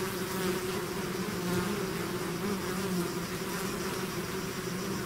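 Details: Honeybee-type swarm pouring out of its hive, natural buzzing: a dense, steady drone with hum bands near 200 and 400, many overlapping wingbeats blending into a continuous wash without pauses.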